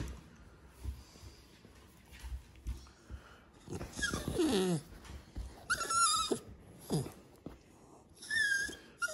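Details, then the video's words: English Staffordshire Terrier puppies carrying a blue black gene, begging for their owner's dessert of ice cream: scattered high whines and squeaky yelps with snuffling and wheezy breaths between, some cries sliding downward. "Staffordshire Terrier Pups want my ice cream"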